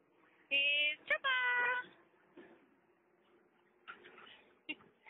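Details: Mali, a mother dog with her puppies, giving a high, clear, harmonic whine in two bursts near the start, steady then slightly rising, followed by faint squeaks and low room noise.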